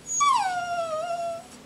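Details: Jack Russell Terrier prompted to say Happy New Year, giving one drawn-out whining howl that starts high, slides steadily downward and then holds a wavering lower tone for over a second before fading; the room is otherwise quiet.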